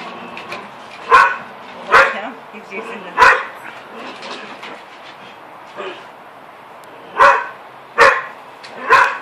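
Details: Standard Poodles, two dogs, bark at a neighbour's cat to keep it on its own roof. Quick bursts of loud barks come in uneven clusters, with a softer yip in between and a pause midway.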